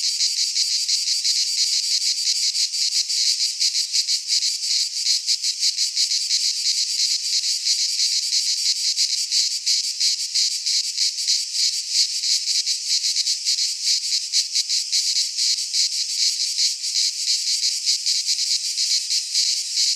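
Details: A chorus of cicadas in a Greek pine forest in midsummer gives a steady, piercing high-pitched rasp. It rattles on unbroken with fine fast flutter and slight shifts in loudness.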